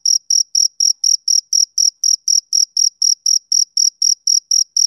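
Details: Male cricket calling on a summer evening, with about twenty crisp, piercing chirps in quick, regular succession and short gaps of silence between them, and no background noise.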